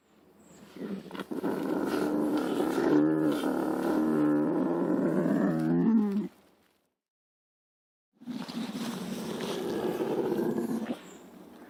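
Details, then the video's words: Lynx snarling with a gritty, rasping growl that lasts about five seconds, breaks off into silence, then resumes with another rough, sustained growl. "Lynx Voice & Original Sounds"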